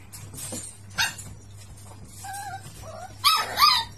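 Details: Miniature Pinscher, a very playful pet dog, making a run of sharp high yips and short whining squeals, two quick cries near the end, with scuffling between them over a low steady hum.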